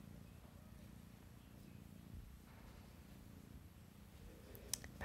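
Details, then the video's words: RagaMuffin kitten, a sable classic tabby tuxedo male, purring indoors: a steady low rumble with fine even pulses, a few faint clicks and a sharp tap near the end. "Sable classic tabby tuxedo boy purrs"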